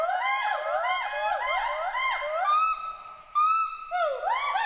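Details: Two wild Western hoolock gibbons climbing and swinging through trees at Hollongapar Gibbon Sanctuary, Assam, give playful whoops and hoots; arched rising-and-falling whoops repeat roughly once a second, then stretch into longer, level, rising notes.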